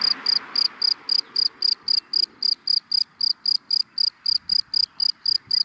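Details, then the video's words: Cricket chirping in dry grass in the daytime: loud, high, regular pulses about four per second, each a short bright burst, with a soft wash of background noise early on. "Sound of Cricket in Dry Grass in the Daytime"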